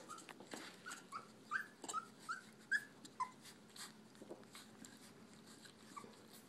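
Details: Brittany puppies eating puppy food indoors: a quick run of about five short, high, thin whimpers rising and falling, followed by softer yips, over steady chewing, lapping and clicking of food.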